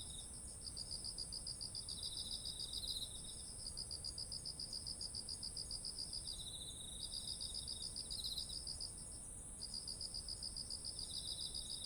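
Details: Insects calling in autumn beside ripe rice fields, recorded with a ZOOM H1essential: a continuous high-pitched hiss-like drone, fast pulsing chirp trains broken by short gaps, and intermittent lower grating trills.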